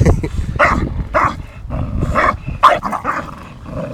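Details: Play-fight between Tyson, an 8-month-old Staffordshire Bull Terrier, and Viper, a 2.5-year-old English Bulldog; a quick run of rough barks with growling underneath, trailing off into a low rumble.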